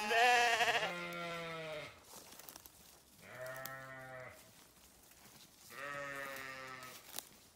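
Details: Farm sheep while grazing bleat three times: a loud, harsh opening bleat, then two steady, buzzy, harmonic bleats of about a second each, spaced roughly two seconds apart.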